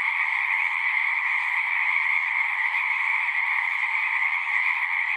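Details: A pond chorus of many frogs in a horse pasture, recorded with a Zoom 6. Overlapping high-pitched trills merge into one continuous, even buzz that holds steady throughout, with no other animals or voices.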